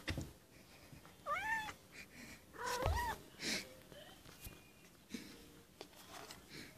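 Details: Pufu, a white kitten, crying at the door: a couple of short rising-falling meows amid scraping, tapping and rustling noises from the room.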